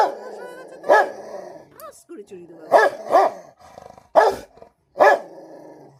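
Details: Rottweiler fighting another pet at home: five abrupt barks, two in quick succession, over a continuous low growl, with a person talking briefly between them.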